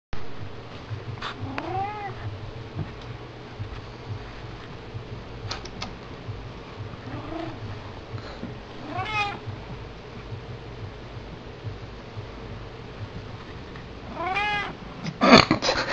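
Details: Pet kitten meowing: short, arched, harmonic meows spaced several seconds apart, with a louder cluster of calls near the end, over a steady low hum.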